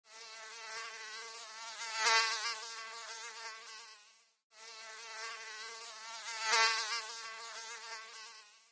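A mosquito's thin, high whine wavers steadily and swells loudly as it passes close by.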